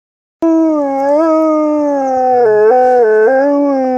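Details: A female pet dog howling; one long, smooth, sustained tone that begins abruptly, holds nearly level and slowly sinks, then breaks into a few short stepped dips and rises near the end.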